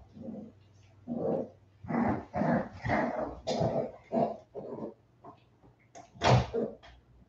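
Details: Forty-seven-day-old West Highland White Terrier puppies, back indoors after an outdoor break, give a run of short, rough, growly vocal bursts, several each second, with a brief sharper yelp near the end over a steady low hum.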